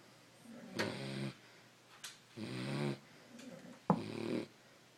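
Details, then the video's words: A sleeping Beagle snores in short rasping bursts, three main snorts with fluttering, vibrating breath and a few brief sharp clicks between them, quiet room tone behind. "Snoring Beagles"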